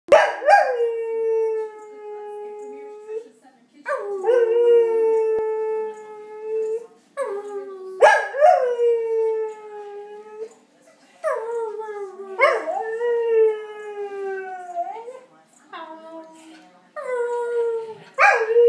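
A Blue Heeler howls in long, wavering notes that slide downward, with short pauses between them.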